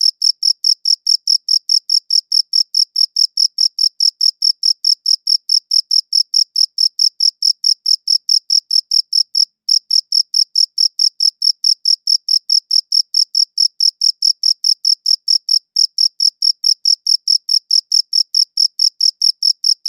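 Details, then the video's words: Crickets chirping, taken with a good audio recorder: a relentless train of sharp high chirps, about four each second, interrupted by one short silence midway. No other noise. "Cricket Chirping Sounds"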